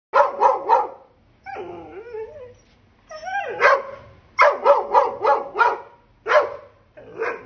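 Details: An angry Dobermann barks in quick sharp bursts, broken by lower whining growls between volleys.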